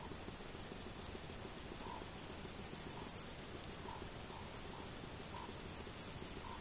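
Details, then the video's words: Male Pholidoptera frivaldskyi bush cricket singing, recorded 5 July 2023 at Oleksandrivka, Kirovohrad Oblast, Ukraine; two short high, hissing bursts of rapid pulsed chirps, each lasting under a second, about three seconds apart, against quiet background. "Singing Pholidoptera frivaldskyi male bush cricket"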